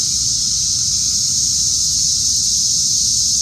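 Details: On a branch of males near St. Charles, Illinois, a very loud chorus of Cassin's 17-year cicadas gives a steady, high, rattling buzz without pause, with Linnaeus's 17-year cicadas echoing in the background.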